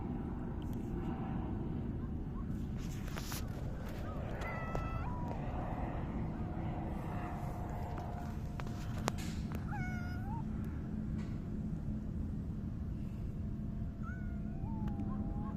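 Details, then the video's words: Grey tabby house cat meowing as it rubs affectionately against a person, 29 July 2024. A handful of brief, bent meows come at irregular intervals over constant low rumbling room noise. "サバトラ 今日の鳴き声とスリスリ"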